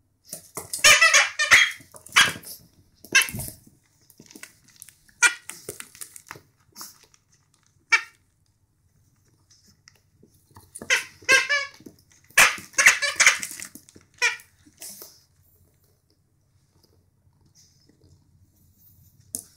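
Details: A young Boston Terrier puppy, about a week into its new home, plays, giving bursts of high, squeaky yaps and little growly whines in a small room while being told "nope".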